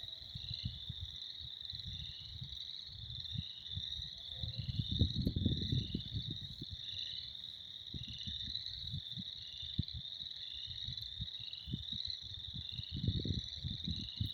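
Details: Frogs in spring, a steady high pulsing trill chorus from many callers, partly covered by heavy low rumbling and buffeting noise, loudest around five to six seconds and again near thirteen.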